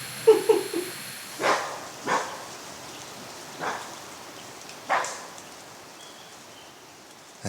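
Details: A bushbuck in the rain-soaked forest of Magoebaskloof gives a series of harsh, dog-like alarm barks about a second apart in light drizzle, apparently alarmed after seeing the recordist.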